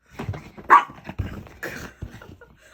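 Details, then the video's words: Excited puppy named Choco during play, giving short sharp barks and yips, one loud yelp near the middle, among scuffling and growly noises indoors. "유난히 신난 강아지ㅋㅋㅋ"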